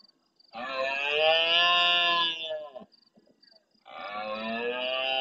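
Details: Big rutting red deer stag bellowing at the start of the night beside a camera in the Doñana marshes at El Rocío, Andalusia, Spain, answering more distant males. Two long, loud, hoarse, harmonic roars separated by a short pause, with faint cricket chirps between.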